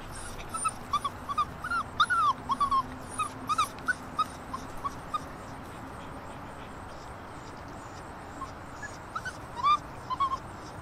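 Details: Six-week-old Alaskan Malamute puppies, with their father nearby, whimper and yip in short, high, squeaky bursts in early September.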